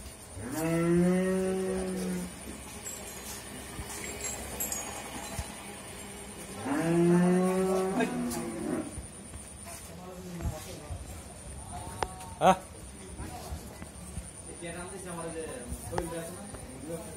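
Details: Friesian heifer, nine months pregnant with her first calf, four teeth in age, raised on a dairy farm in Bhangura, Pabna, Bangladesh; two long, drawn-out harmonic moos about six seconds apart, then fainter voices and knocks.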